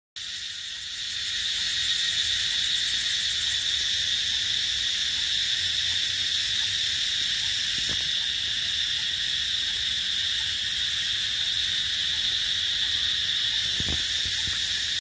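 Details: Cicadas in trees in Thailand fill the air with a loud, unbroken, high-pitched buzzing drone that barely wavers.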